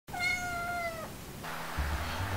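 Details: Kitten born May 2, a calico-tabby female, meowing indoors when first meeting adult house cats; one clear, slightly falling harmonic meow about a second long, followed by rustling and handling noise.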